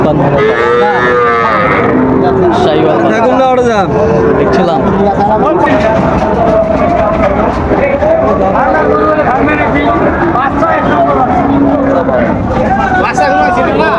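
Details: Sahiwal bull calves at Raniganj cattle market in Dinajpur, Bangladesh, on 30 September 2024 as trading begins: several deep, drawn-out moos with rising and falling harmonic tones overlap throughout, amid a busy crowd of voices and some vehicle noise.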